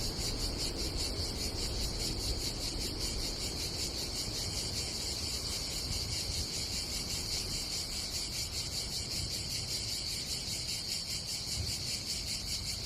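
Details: Summer cicada chorus at a seaside campsite on the Adriatic coast of Croatia, a continuous high, pulsing buzz that never pauses, with wind and sea murmuring underneath.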